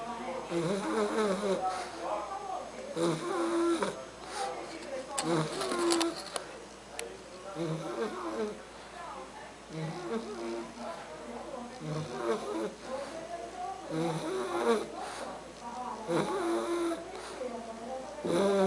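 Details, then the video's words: Sleeping three-month-old Bulldog Argus produces rhythmic snuffling snores roughly twice a second-pair cycle, nasal and raspy with thin whistled tones on each breath, inside a small room. "Bulldog Argus roncando"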